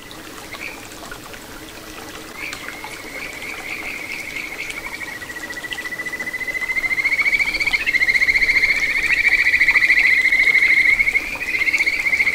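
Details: Kajika frog singing in a small satoyama stream in Ichihara, Chiba, Japan, 9 June 2022: a long sustained whistled tone, rising then holding steady and growing louder, with fine rapid trills over trickling water.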